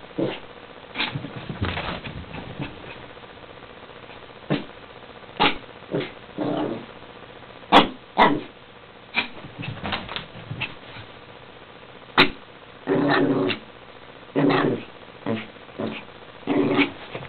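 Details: Chihuahua named Elvis, a hyperactive pet dog, giving short sharp barks in bursts, some single and some in quick clusters, with quiet gaps between them in a small indoor room.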